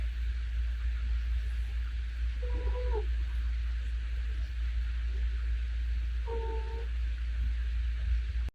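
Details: A dozing domestic cat snores softly. Two short whistly nasal notes, about four seconds apart, sit over a continuous deep hum.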